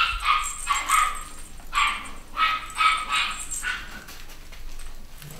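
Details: Litter of Cavachon (Cavalier x Bichon) puppies, young boys and girls, at a UK breeder in 2015; shrill, high yapping barks come in about six quick bursts over four seconds, then fade to softer yips.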